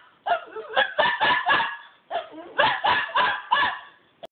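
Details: Toby, a dog acting naughty, cries in two clusters of rapid, harsh yelps, about five each, separated by a brief pause and ending with a faint click.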